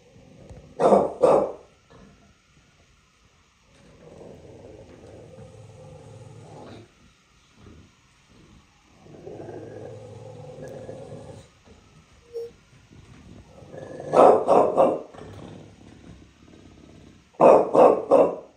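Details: Bulldog in New York City barking in short bursts, a double bark near the start, then two clusters of three rapid barks near the end, with low grumbling growl-like vocalizing between.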